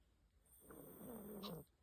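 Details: A 15-year-old Pomeranian named Yotaro, an elderly dog living in a remote mountain home, snoring while dozing: one soft, buzzy, rattling snore lasting about a second, with a faint steady high hiss behind it.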